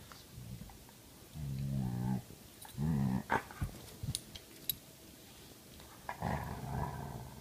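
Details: Two dogs, a grumpy Belgian Malinois mix and a playful Karelian Bear Dog mix, interact. Low, rumbling growls come in bursts of about a second, some with a rising, moaning tone, amid scattered clicks and light shuffling noise.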